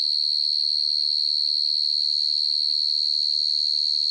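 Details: A field cricket (Vietnamese dế mèn) gives a steady, high, ringing trill pulsing rapidly without pause at night; field cricket.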